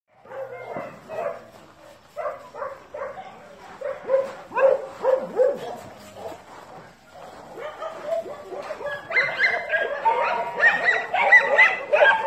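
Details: Dogs barking in quick, uneven bursts, short mid-pitched barks tumbling over one another, growing louder and shriller toward the end with higher yapping notes mixed in.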